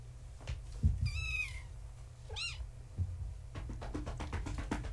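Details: Gaia's young kittens, born March 14, 2017, with their tabby mother at bedtime, one of them trying to climb the fence. Two distinct meows, a long wavering one then a short arched one, then rapid knocking and scrabbling.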